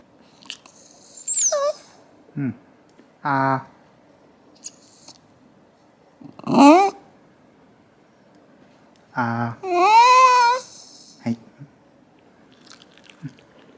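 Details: Shiba Inu named Hachi grumbling at bedtime, complaining after a long wait for the owner's bath, urging a hurry: separate whiny, warbling vocalizations, some rising and falling, several short bursts with pauses between, indoors in a quiet room.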